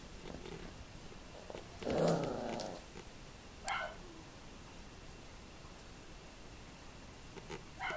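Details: Tibetan Terrier from a kennel's F litter, 2015; a short rough growl near two seconds, followed by a brief sharp yip and a few faint soft sounds later, in an indoor setting.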